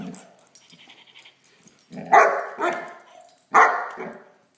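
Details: Great Dane puppy named Blacky playing with a toy dog, giving three sharp barks in the second half, preceded by quieter low growly sounds and light rustling.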